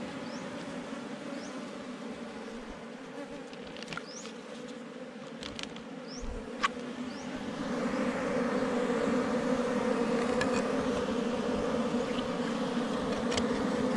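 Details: Forest honey bees from a beehive under rocks, disturbed as the hive is caught for its honey: a softer hum with sharp clicks and handling knocks at first, then a louder, fuller buzzing swell that holds steady.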